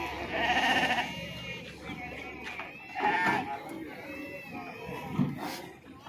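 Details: Sheep being unloaded at Pebbair market: a drawn-out quavering bleat followed by a shorter one a few seconds later, partly masked by human chatter and general crowd noise.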